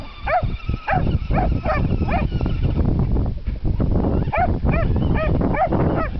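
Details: Chasing a remote-controlled monster truck, Buddy the Jack Russell–Dachshund cross gives about ten bright, yelping barks in two bursts, a short gap between them, with a constant low rumble behind.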